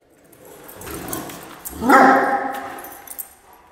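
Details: A dog playing at a dog daycare in Vancouver, where a golden retriever and a great dane run laps together. A single loud, tonal bark-whine rings out near the middle, with softer scuffling and background noise around it.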